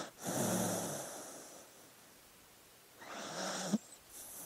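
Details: Slumbering dog gives two soft, breathy snores with a faint low rumble, spaced about three seconds apart, ending with a small snort.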